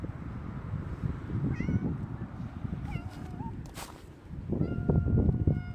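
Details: Two domestic cats, a grey tabby and an orange tabby, greeting someone at the door on 17 January 2025, rubbing against them; a few short rising meows with one longer wavering meow, over rustling and shuffling noise.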